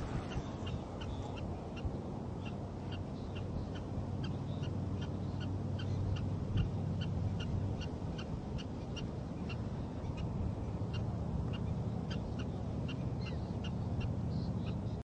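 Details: Barking prairie dog defends the nest with a long run of quick, clipped chirp-like barks, nearly three per second and fairly steady, set against constant low background hum.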